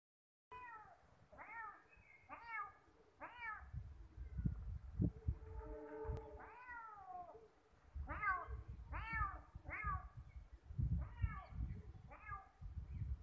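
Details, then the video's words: Ginger kitten trying to get close to a calico cat and meowing: about ten short, high, arching mews spaced roughly a second apart, one longer drawn-out meow midway, with rustling and handling noise between. "Meowing kitten and a Calico cat"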